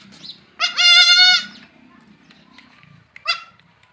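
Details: Young goat kids playing; one gives a loud, wavering, nasal bleat of nearly a second, followed by a shorter, quieter bleat after a pause, with faint low murmuring behind.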